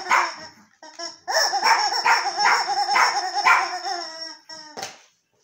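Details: Pet Yorkshire terrier Archie getting to know a new toy, giving a short yelp, then a continuous undulating whine-howl pulsing about twice per second before a final sharp bark.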